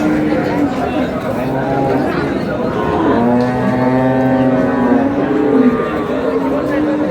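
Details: Cow with calves for sale at Ambari haat livestock market, Dinajpur, March 6, 2026: one long, drawn-out moo with a steady low pitch, rising in the middle, under busy chatter and bargaining voices of buyers and sellers.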